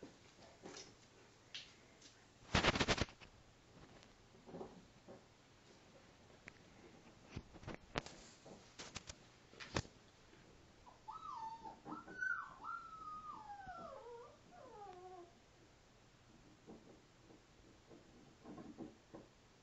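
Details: Five-week-old female Alaskan Malamute pup playing with her father indoors; a wavering, whining whimper rises and falls for about four seconds, with knocks, scuffles and thumps of play around it.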